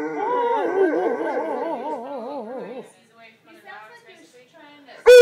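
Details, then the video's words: Thor, a large purebred Alaskan Malamute, howls at a pet hospital after waking from anaesthesia for a dental cleaning. A wavering, operatic howl with strong vibrato lasts about three seconds, then fades into softer warbles. A person speaks over it, and a sharp click ends the clip. "Thor, the Opera Dog"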